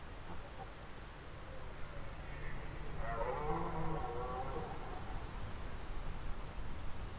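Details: A red deer stag roars during the rutting season in a dark Danish forest in low light, a deep, drawn-out bellow rising to a harsh peak.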